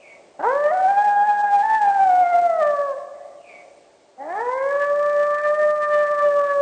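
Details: Two brief howls from a three-month-old gray wolf pup near the den site, each sliding up sharply then holding a high, slightly wavering tone; shorter and higher than an adult's, answering a nearby adult's howl.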